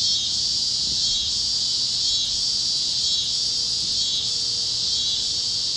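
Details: Warm sunset over Kansas fields with cicadas chirping; a strong high-pitched buzzing band pulses in uneven surges about once a second, and a faint low tone drifts beneath.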